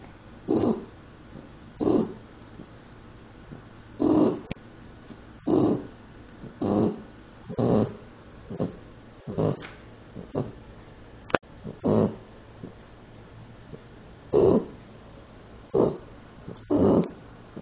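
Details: Sleeping puppy named Daisy snoring indoors, a steady run of rasping snores roughly every second, fairly loud and rhythmic, with a faint click partway through.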